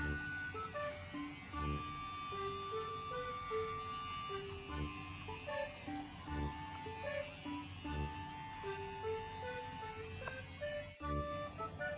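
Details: Quiet melodic background music of stepping tones and a steady high note plays throughout, with no animal sound heard.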